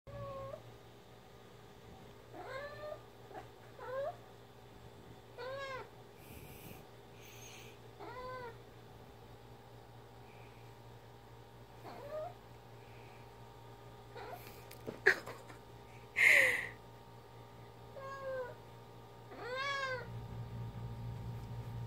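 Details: Ginger, a pet cat, playing fetch with her favourite toy indoors, mumbles a long series of short, arched, harmonic meow-like calls every second or two, with a few louder clicks and thumps from the toy around the middle.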